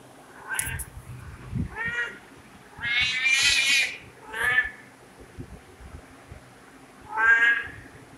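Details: Several domestic cat meows of varying length and loudness, the longest and strongest in the middle, a few short chirpy ones around it, with scattered low thumps and room noise.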